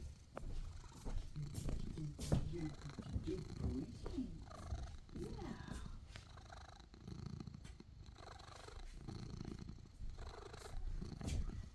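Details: Domestic cat purring: a continuous low rumbling throb with steady pulses, interrupted briefly by a few louder mid-pitched sounds and faint human speech in the background.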